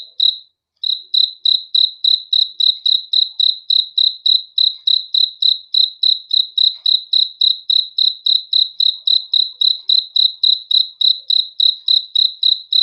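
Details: Night-time cricket chirps: after a short gap near the start, a long unbroken run of sharp, high, pulsed chirps about three and a half per second, very regular, against silence.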